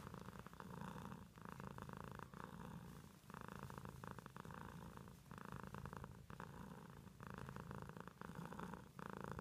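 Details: Purring pet cat, the rumble rising and falling in breath cycles about once a second, each exhale a rougher burst.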